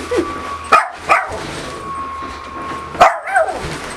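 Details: Pet dog, a female, barking at her owner dressed in a new Pikachu costume after being called in; short sharp barks in two pairs, around 0.7 and 3.0 seconds, over a steady faint tone and indoor background hum.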